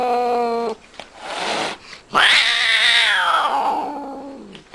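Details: Domestic cat caterwauling: a steady harmonic yowl breaks off, then a long loud wail swoops up high and slides slowly down, rich in harmonics, in a quiet room.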